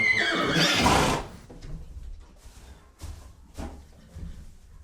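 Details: Horse giving a short loud breathy neigh in the first second, a rough burst that fades quickly, followed by quieter snorts and soft clicks.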